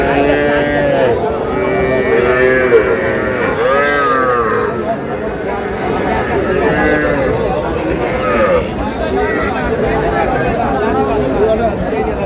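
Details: Young Sahiwal bull and heifer calves at a cattle market in Dhaka, Bangladesh, on 10 June: several drawn-out, harmonic moos that rise and fall, overlapping loud men's bargaining talk and crowd noise.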